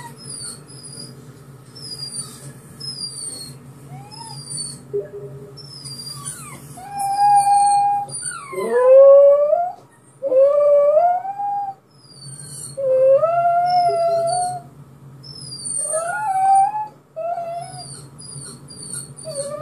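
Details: Pet dog howling like a small wolf in response to a recording of his own crying: rising, wavering drawn-out howls in long bursts from about seven seconds on, with higher thin whimpering tones between and a low steady hum beneath.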